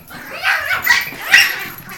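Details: Excited house dog reacting to a bird loose in the room, which came from the attic; a run of rapid, high yipping barks with rising bursts, no other clear sounds.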